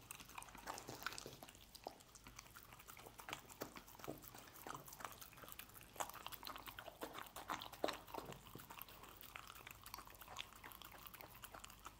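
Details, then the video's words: Steady busy chewing and licking from a dog eating scrambled egg, with dense wet smacks and clicks throughout and a few louder bites midway. "Dog Eating Egg Scramble"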